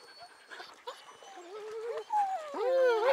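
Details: Dog playing at a pond gives high, wavering whines and whimpers that slide up and down in pitch, growing louder and more insistent toward the end, with faint background noise.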